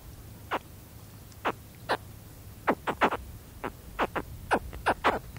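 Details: Close recording of a baby spectacled caiman's contact calls: sharp, falling chirps, sparse at first then coming in quick bursts toward the end, over faint wind.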